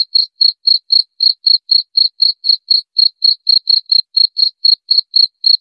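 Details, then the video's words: Cricket sound offered as an effective rat repellent: clean, high chirps repeated about four times a second in an even, steady train, with a silent background and no other sounds. "Suara Jangkrik"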